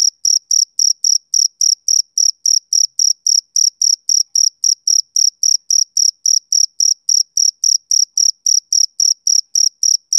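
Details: A male cricket sings on a summer evening, a continuous run of piercing, evenly timed chirps, roughly three to four per second, with nothing else audible.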